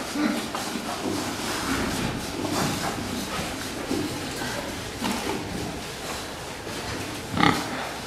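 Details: Fattening pigs on a farm, a group grunting together: rough, broadband grunts repeated irregularly throughout, with one sharper, louder squeal near the end and faint voices in the background.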